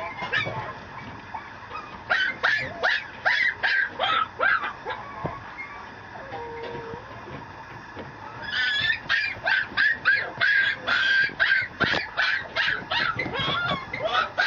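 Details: Mameshiba puppy, a male, at a Japanese kennel, letting out strings of hoarse, honking yaps in quick succession, a softer lull with a low brief tone midway, then a dense run of squeaky barks.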